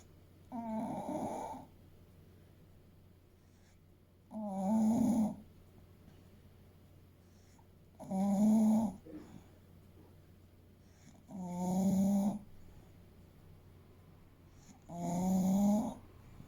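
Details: Eight-year-old male English Bulldog Fuku, about 30 kg, asleep and snoring steadily: five rasping, rattling snores at an even pace, about one every three to four seconds, in a quiet room.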